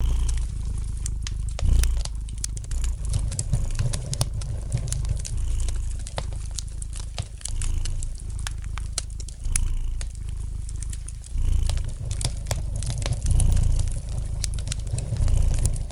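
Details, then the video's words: Gentle purring of a domestic cat beside a fireplace: a low, steady rumble that swells in soft pulses, overlaid with scattered sharp pops and light crackling from the burning fire. "Relax to the gentle purring of the cat"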